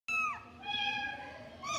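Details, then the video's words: Cat giving a single short meow that drops in pitch at the end, followed by softer trailing sound and the start of another meow. "Cute Cat Meow"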